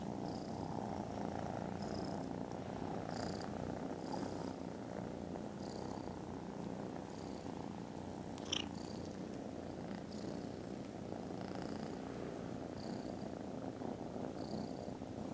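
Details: Loud, continuous low rumbling purr from contented foster kittens dozing after lunch on 18 December; the drone holds evenly for the whole stretch, with brief high chirps and one sharp click in the background.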